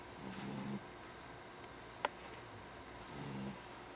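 A Jack Russell Terrier snores with low, buzzy, rattling breaths about three seconds apart.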